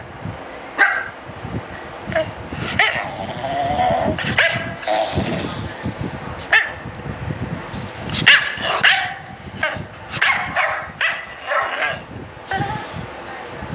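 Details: A dachshund gives sharp, high barks and yips in quick, uneven bursts.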